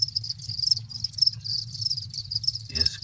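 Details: Captive-bred adult crickets, six and a half weeks after breeding, chirping in a dense chorus: continuous high trilled pulses forming a steady buzz, with a low rumbling hum beneath and a brief clatter near the end.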